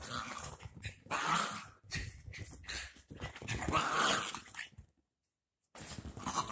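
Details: Two dachshund puppies playing just after their baths; rough, noisy bursts of growling and snuffling come in irregular spurts, with a brief silence near the end.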